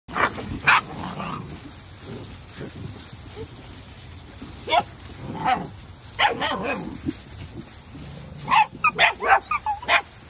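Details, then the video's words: Labradoodle puppies letting out scattered high yips and short squeaky barks, several quick bursts clustered near the end, with soft background murmurs between calls. "Labradoodle Puppies"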